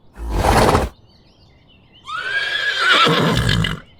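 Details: Horse gives a breathy, rumbling snort, pauses for about a second, then lets out a rough neigh that rises and falls over nearly two seconds.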